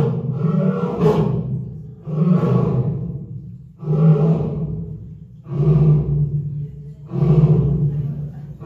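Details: Lion named Sana calling back and forth with another lion, Tom, at Hamamatsu Zoo on 18 February 2023; five deep, booming grunting roars, each about a second long, repeated roughly every one and a half seconds.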